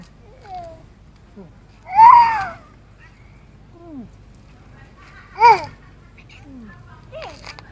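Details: A cat in a residential area, fed by a caretaker, rubs against everything to be petted. Two loud, short, rising then falling meows come about three seconds apart, with softer faint calls between them in a quiet setting.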